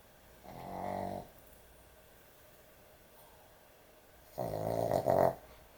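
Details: Excessively snoring dog asleep: a softer, grating snore, then after about three seconds of quiet a louder, rougher snore that wavers and peaks twice before ending.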